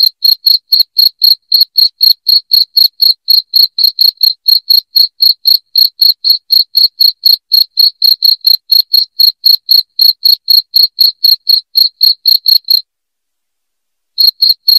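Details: Loud cricket chirping, offered as a sound to drive rats out of the house: shrill, evenly spaced pulses about four per second, steady for nearly thirteen seconds, then a short silence before the chirps resume.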